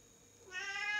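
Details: Bengal cat playing on a floor-to-ceiling scratching tree indoors; quiet at first, then a loud, rich harmonic meow rises sharply and holds steady to the end.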